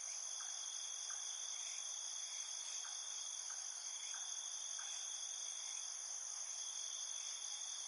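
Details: Insects calling at night, recorded without music: an unbroken shimmering wall of high trilling from many callers, with quieter short chirps recurring about every half second to second in the background.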